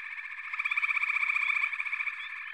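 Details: Frogs calling together in a chorus: rapid pulsed trills overlap into a buzzing drone that swells loudest in the middle, with a few brief upward chirps over the top.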